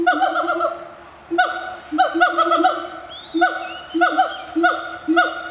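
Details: Territorial morning calls of a siamang, a common black primate of Malaysia's tropical forest: series of loud whooping barks in rapid clusters, each note dropping in pitch, over a sustained droning boom; a faint bird whistle briefly in background.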